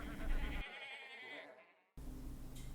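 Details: Brief wavering sheep bleat at the start, tapering away into quiet, then a separate low rumbling noise takes over after a short pause.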